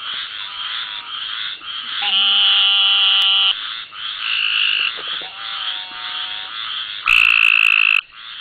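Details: Cope's gray treefrog in the Barataria-Terrebonne National Estuary, Louisiana, lit by a headlight and filmed with a Sony DSC F717: a dense, high-pitched chorus of buzzing trills, with a louder, harsh trill lasting about a second near the end.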